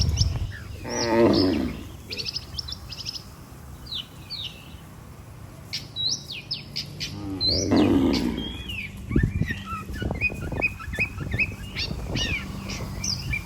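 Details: Cattle herd heading back to the barn with their herder; two short, low, rough lowing calls several seconds apart rise above a steady background of busy bird chirps and whistles.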